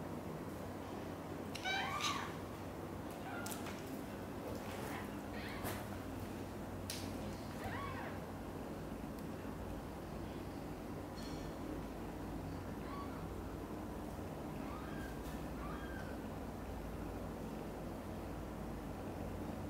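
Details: Meowing as mother cat Xaxa takes mother cat Chan's kittens Miracle and Cream to her own nest. Short high mews come and go across the stretch, mixed with sharp clicks, rustling and a steady low hum.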